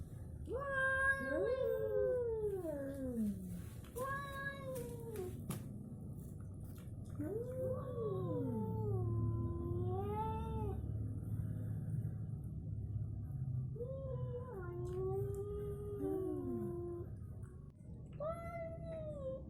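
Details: Fight between an orange cat and a striped tabby cat: a continuous series of loud, wailing yowls that swoop up, waver and slide downward, some overlapping as both cats answer each other, with brief gaps between outbursts.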